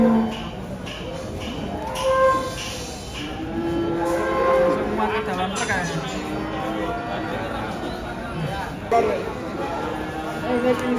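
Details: Giant lame cow being unloaded from a truck, one leg refusing to touch the ground; drawn-out, low, tonal moos recur over several seconds, overlaid by men talking and background music.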